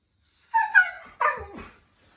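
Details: Siberian Husky 'talking' as if complaining to its owner: a rising, bending moan, a brief gap, then a rougher, lower grumbling tone that fades away.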